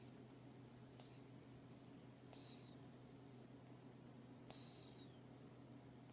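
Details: Cat asleep and snoring: three breathy bursts with a thin descending whistle, spaced a second or two apart, against a constant low electrical hum.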